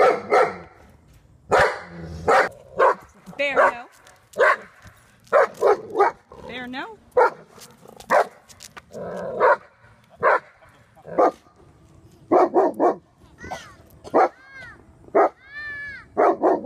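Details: Reactive German Shepherd Dog, aggressive toward dogs and people, during training in Virginia: a long run of loud, rough barks mixed with rising and falling whines and yips, while a person speaks at times in the background.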